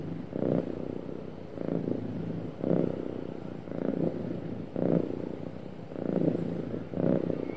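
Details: Smooth purring of a happy domestic cat, soft low rumble surging in short bursts about once a second, quieter gaps between breaths.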